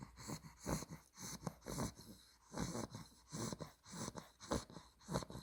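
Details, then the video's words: Sleeping Olde English Bulldogge puppy Spaghetti, a two-month-old blue merle tri female, snores in fast, wheezy breaths. Each raspy puff is breathier and hissier than the last, coming in a steady run of roughly ten over five seconds. "OLDE ENGLISH BULLDOG SNORES WHILE SLEEPING"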